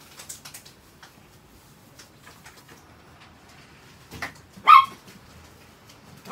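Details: A pet Chihuahua indoors, looked after by its owner: quiet rustling and small knocks, then a short yip followed by a loud, sharp bark, and another bark cut off at the very end.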